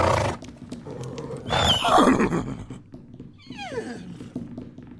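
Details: Horses fighting: a loud harsh squeal around the second mark, then a whinny that falls steeply in pitch with stacked overtones, over a low rumbling background.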